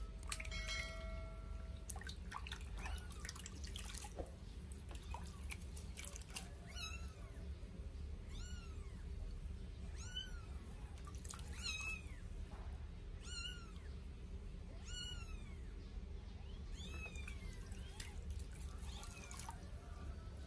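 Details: Two 8-day-old Sphynx kittens during their first bath give thin, arching, high meows. After a quiet start, they repeat roughly every one to two seconds over dripping and splashing water in a small room.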